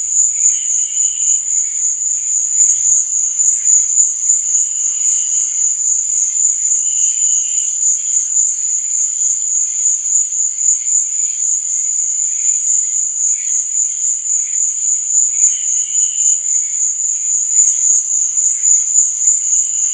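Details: Crickets chirping at night, a constant shrill pulsing drone overlaid by brief lower chirps that recur at intervals of a few seconds.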